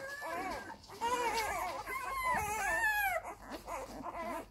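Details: Labrador Retriever puppies nursing from their mother indoors, giving high, wavering whines that rise and fall in pitch, several overlapping in long drawn-out cries with brief pauses between.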